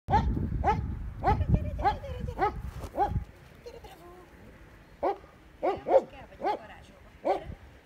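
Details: German Shepherd Dog giving sharp, arching yelps, each rising then falling, in a fast irregular series, denser at the start, then a quiet gap before five more spaced yelps; low rumbling noise underneath early on.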